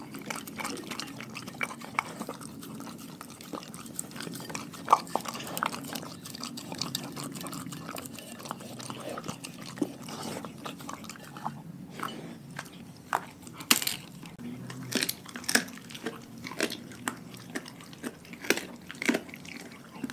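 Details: A pack of dogs eating a raw food diet: wet, irregular crunching and chewing with sharp bone-cracking clicks at uneven intervals, a louder burst of crunches mid-way, and a soft low background hum throughout.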